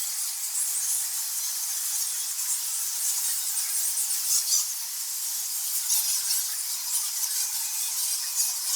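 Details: Thousands of nectar bats in a cave make a dense chorus of high, thin squeaks and squawks.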